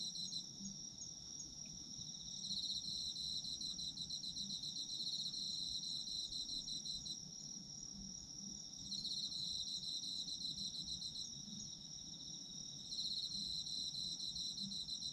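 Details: Autumn insects singing for a sleep recording: a constant high ringing tone joined by pulsed chirping bursts that swell and fade every few seconds, with faint low background noise.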